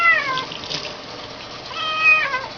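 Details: Kitten being bathed, giving two high meows with stacked harmonics, the first falling and the second rising then dropping, over a steady hiss of running water.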